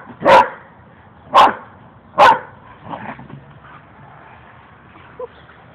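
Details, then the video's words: Two dogs at play give three loud, punchy barks roughly one second apart, followed by softer yips and whines trailing off into quiet. "dogs playing"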